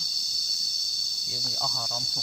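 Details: Cicadas heard while lying down to listen on a nature walk: a dense, steady high-pitched drone that never breaks, joined in the second half by a short burst of lower, voice-like harmonic sound.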